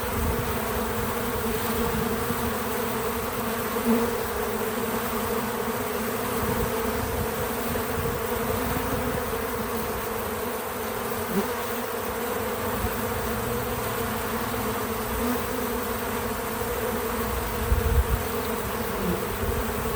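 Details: Bees visiting a feeder, recorded in real time: a dense, steady hum with a low droning tone and a higher overtone, holding evenly for twenty seconds with slight swells near the fourth and eighteenth seconds; no music or voices.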